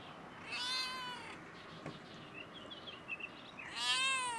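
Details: A stray cat perched on a fence on a coronavirus-closed campus gives two clear, arching meows about three seconds apart, directed at the recordist. Light twittering of small birds fills the gap.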